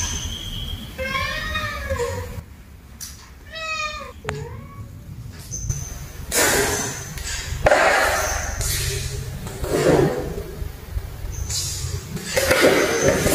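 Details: Cats meowing in anger toward another cat: two falling, wavering meows in the first four seconds, then repeated bursts of rustling and knocking noise with a faint high tone.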